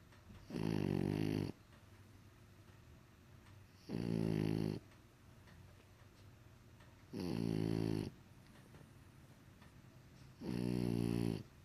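A French bulldog snores in deep, rasping bursts about every three seconds.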